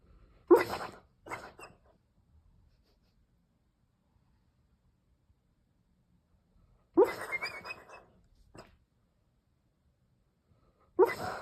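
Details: A sleeping, dreaming Weimaraner snores in harsh, breathy bursts, one carrying a thin rising whistle; Opole, Poland, June 6, 2023.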